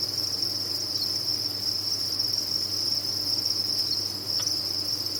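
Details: Farmed crickets calling in a crowd produce one seamless high, buzzy trill, even and sustained from start to finish, a low mechanical hum underneath and a single brief tap near the end.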